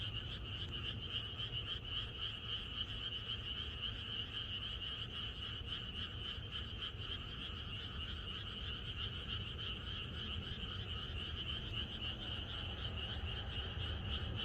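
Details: Frogs singing in chorus on a countryside night in Korea before rain, a long unbroken stretch of dense pulsing croaks and trills from many animals, fairly steady in loudness, with low rumbling noise beneath.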